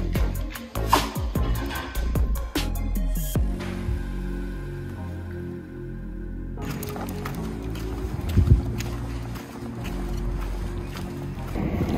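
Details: Music with a deep low rumble, an abrupt hush midway and a few soft thuds, with no animal voice heard.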